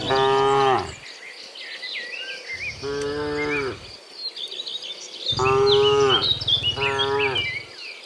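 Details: Afternoon herding of dozens of cows returning from the fields to the pen: four moos, one deep and sustained followed by shorter bellowing ones, over steady chirping of birds and a faint insect buzz.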